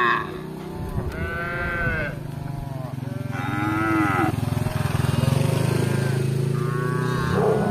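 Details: Tame cattle roaming a village for grass: several arched moos rise and fall over a loud continuous low engine-like drone that strengthens toward the end.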